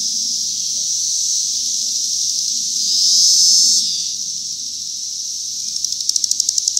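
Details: A steady high-pitched cicada drone from 2021 swells noticeably louder for about a second midway, then eases back, and ends with a quick series of sharp rhythmic ticking pulses over the ongoing buzz.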